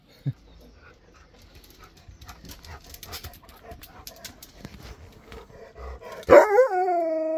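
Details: Husky greeting his best friend, who comes to stay at his new home. Quiet rustling, laughter and music come first, then a sharp yelp opens into a loud, drawn-out, wavering howl rich in overtones.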